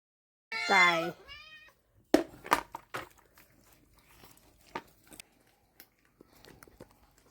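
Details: House cat in a cat room shared with six young cats and ripe papaya. It gives one loud, drawn-out, falling meow and a fainter short echo of it, followed by clattering, knocks and soft human voices.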